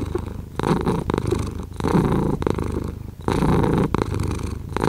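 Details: Close, low purr from a house cat, rumbling in uneven surges as it breathes in and out, several rises and falls across a few seconds in a quiet setting.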